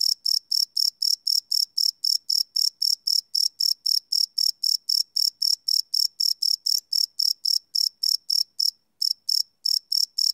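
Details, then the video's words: Crickets calling at night, recorded live on a Sony PCM D100 field recorder: a rapid series of piercing high chirps, roughly four each second, with one brief pause near the end. "Cricket Chirp Sound - Cricket Sounds at Night"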